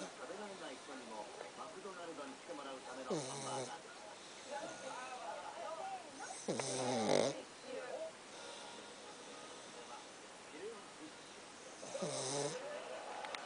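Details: Pet dog Pakkun asleep and snoring, short hoarse snorts spaced several seconds apart, while people chat and laugh throughout in the foreground.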